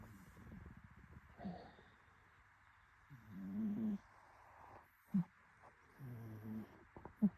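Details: A cat snoring softly: low, rough breathy rumbles come in a few uneven bursts, each about half a second to a second long, with brief clicks between them in a quiet room.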